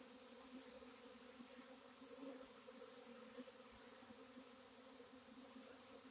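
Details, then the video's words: Honey bee swarm on April 26, 2021: a dense, steady droning hum with a low fundamental and stacked overtones, unbroken throughout, with soft hiss above. "Honey bee swarm"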